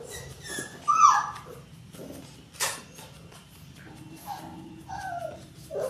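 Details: Labrador Retriever puppies, six weeks old, from a litter of six indoors: a sharp high yelp near the start, then softer whining cries over a low room hum.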